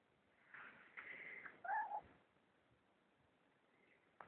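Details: Persian cat that keeps going after a person's arm, with soft rustling, then one short quiet meow with a wavering tone, followed by near silence.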